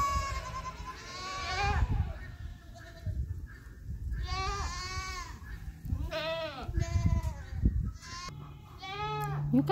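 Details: Mini Nubian goat doe in labor on a farm in North Carolina, resting between contractions as the first of triplets is delivered; a series of about six strained, arching bleats spaced a second or two apart, with rustling between.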